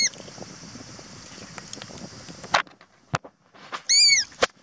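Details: An evening cicada (higurashi) in a park in Japan gives a high, shrill, steady ringing tone, then a short run of quick, falling pulses, with several sharp clicks and knocks in between.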